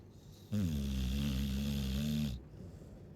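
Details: A Chow Chow snoring: one long, low, rumbling snore lasting nearly two seconds, steady and droning with a breathy hiss over it, set between quiet pauses of soft breathing.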